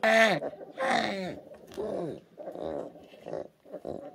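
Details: Young orphan brown bear cubs at the Orphan Bear Rescue Centre in 2023, tiny and fragile after losing their mothers: two loud wailing cries open, followed by softer, overlapping moaning whimpers that fade toward the end.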